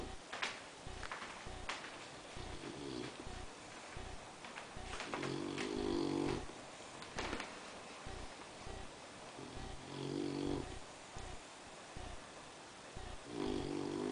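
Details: Six-month-old Boxer puppy asleep indoors, snoring: soft, low rasping snores recurring about every four seconds over a hissy background with a few faint clicks and rustles.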